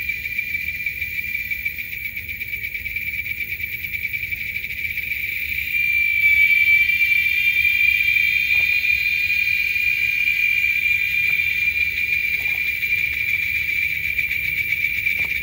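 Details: A chorus of male Giant Cicadas in Texas gives a shrill, continuous high buzz that swells louder midway and holds steady; such choruses can be louder than a lawnmower.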